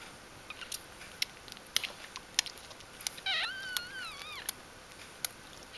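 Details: Newborn puppies indoors in their first days after birth: a thin, high squeaky whine that wavers up and down, set among frequent sharp clicks and taps, with a steady faint hiss underneath.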